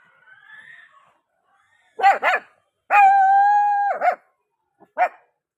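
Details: Dog barking and howling while being shooed home: a quick double bark, then a long steady tonal howl of about one second ending in barks, and a final short bark, with quiet background between.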